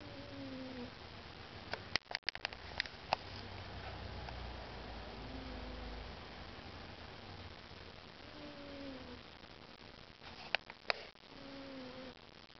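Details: Snoring from a sleepy Bengal cat indoors, four thin whistling breaths spread across the clip, interrupted by sharp clicks and rustling handling noises.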